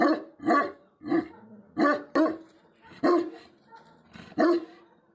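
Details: Tibetan Mastiff guardian dog from Nepal giving about eight heavy, booming barks, spaced irregularly at roughly half-second to one-second intervals, with quiet gaps between.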